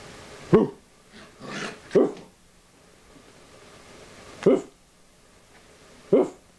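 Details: Bernese Mountain Dog named Max, indoors, who misses his owner when she leaves the house and watches for her car at the window; short deep barks at irregular intervals, four main ones over about six seconds, with a softer muffled sound between.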